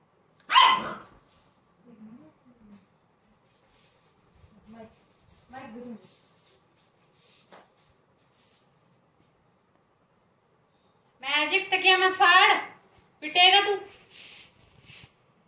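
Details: American Bully pup: quiet scattered whimpers early on, then two loud bursts of harmonic, yelping whines near the end with short pauses between them.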